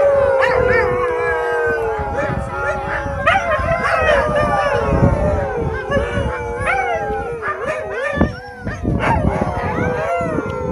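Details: A group of Alaskan Malamutes (Canis lupus familiaris) at Eagle Heights in Kent howls together in overlapping, wavering voices that rise and fall in pitch.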